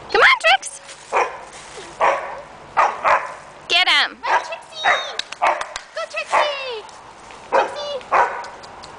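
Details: Luke, a dog wearing a blue collar, barks and yips while interacting with three other dogs, Mariah, Trickseigh and Addie; sharp, high, harmonic yelps come in quick irregular bursts, about a dozen in nine seconds, with a person talking between them.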